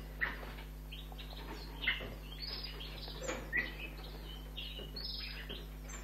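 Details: Hand-fed red squirrel youngster at a wildlife rescue station, found lying on the ground in the street in August and since recovered; brief sharp high chirps about every second and a half, with quieter squeaks between, over a constant low hum.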